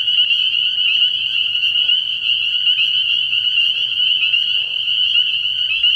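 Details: Dense night chorus of spring peepers at a frog pond early in the year: countless high, shrill peeps blend into one unbroken ringing band, with faint soft rustles underneath.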